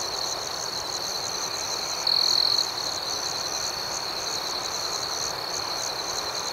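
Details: Crickets at night, a steady high shimmering chorus of rapid chirps with one louder, sustained trill rising out of it around the middle; no other sounds.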